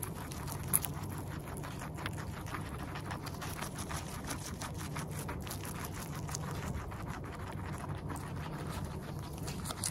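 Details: Close-up recording of a guinea pig eating: rapid, even crunching clicks that go on without pause, with a constant low background rumble underneath.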